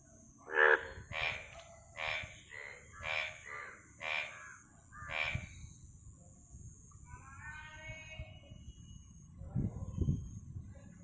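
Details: Frog giving six loud, rough pulsed croaks at about one-second intervals, followed by fainter harmonic calls from other animals and a low thumping noise near the end.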